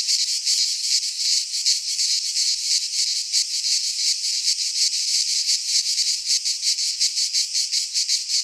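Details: In a Greek pine forest in midsummer, cicadas produce a loud, sizzling high-pitched chorus, pulsing steadily around three beats per second across the whole stretch.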